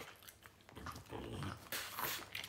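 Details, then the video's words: French bulldog indoors reacting after hearing strange noises, giving low breathy grunts and snuffling snorts that swell into a louder rasping burst near the end, with no clear bark. "French bulldog heard strange noises"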